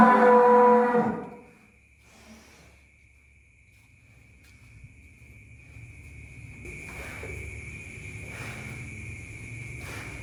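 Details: Giant cattle, one of four loaded onto a truck in a process lasting until midnight: a single loud, deep moo of about one second, followed by near silence and a low engine-like rumble.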